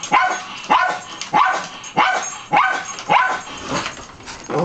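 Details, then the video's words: Dusty the dog keeps barking at someone concealed in the back of a coat closet, recorded July 20, 2011; loud, regular barks almost twice a second, eight in a row, with a softer one near the end. "Dusty barking at Miranda"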